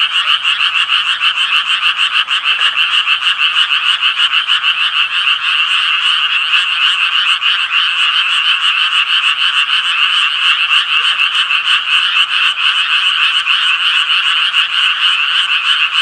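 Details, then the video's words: Japanese tree frogs calling in a loud, continuous chorus of rapid, raspy, mid-to-high-pitched notes that pulse several times a second and overlap without pause. "청개구리 울음소리"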